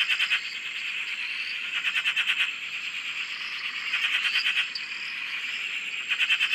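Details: Frogs calling together on a dam in Australia, a steady shimmering trill chorus swelling and fading, with short rising chirps from other frogs mixed in.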